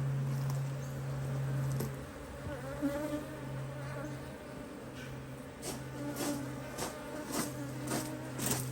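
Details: Honey bees at an opened Hive IQ beehive in Australia, mid-autumn 2023, during beekeeping work. A strong, even, low hum runs throughout, with a few sharp knocks and some soft handling noise.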